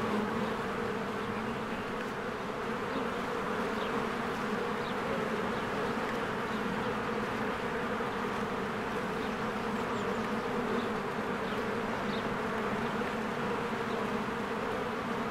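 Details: Swarms of honeybees around their cozy hive as trees green in spring, a continuous low-pitched buzzing drone of massed wingbeats, steady and unbroken, with faint brief birdsong notes overhead.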